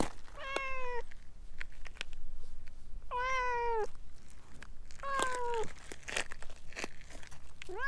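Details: Stray orange tabby that talks a lot and winds around a person's legs: four loud, long, slightly wavering meows about two seconds apart, the last cut short, over soft rustling and clicks.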